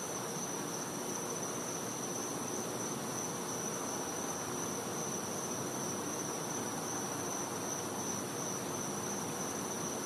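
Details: Cicada calling at night in winter in a Florida back yard: a steady, unbroken high-pitched ringing tone over a dense hiss of background noise, with no pauses.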